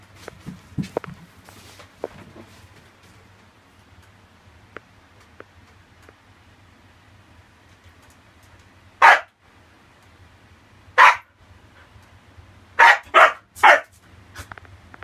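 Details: Siberian Husky barking at a cockroach it discovered indoors. After a quiet stretch with faint taps, five loud, abrupt barks come in its last six seconds, the final three in a rapid run.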